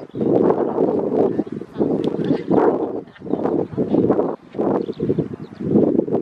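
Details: Grey seals early in the pupping and mating season at Donna Nook, Lincolnshire, on 5 November 2018; repeated low moaning, wailing calls in long bursts roughly every second, overlapping voices from several seals.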